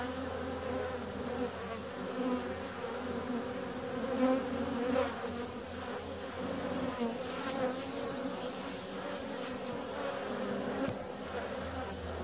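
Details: On a warm February day, honey bees out in flight fill the air with a steady, layered buzz. Single passing bees rise and fade around four and eleven seconds, with a faint low hum underneath.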